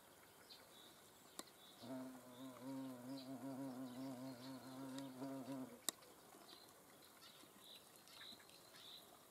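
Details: Hornet in the Eifel countryside, filmed during a nature observation. A low, steady droning buzz with rich harmonics lasts about four seconds, then stops abruptly. Short high chirps repeat in the background, with one sharp click before and one after the buzz.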